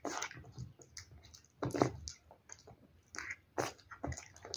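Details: Wet food being eaten by a cat, with loud moist chomps and slurps in clusters separated by short pauses. The strongest bite comes near the middle.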